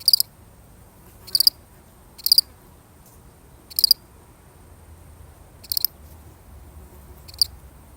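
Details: One solitary cricket repeating sharp, high pulsed chirps at uneven gaps of about one to two seconds, the last chirps weaker, against a quiet rumbling background.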